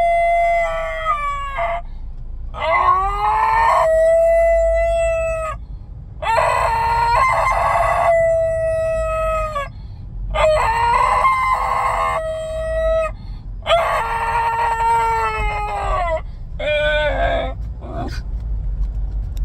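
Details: Basenji dog howling in a car, unwilling to head home: a series of about seven drawn-out, wavering yodel-like wails separated by brief pauses, some sliding upward, over a constant low engine drone.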